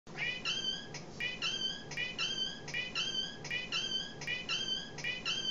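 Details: Oldest male domestic cat indoors, squeaking instead of meowing as he does when hungry, filmed on a phone: high squeaky calls in steady short bursts, paired and repeated about every three-quarters of a second, with faint regular ticks.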